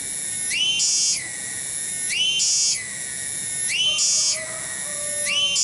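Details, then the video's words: Small but very loud cicada in a garden at Kampung Bunder, Cibening, Bungursari: a sizzling high-pitched whine that climbs into harsher bursts roughly every 1.6 seconds, with a faint lower tone appearing near the end. "SORA TONGGERET DI KEBON"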